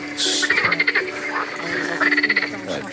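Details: Green frogs calling at night on the plain of Zoo de la Flèche, France, where they colonised naturalised ponds created there: two bursts of rapid, rattling pulsed croaks, each about half a second, with a steady hum beneath.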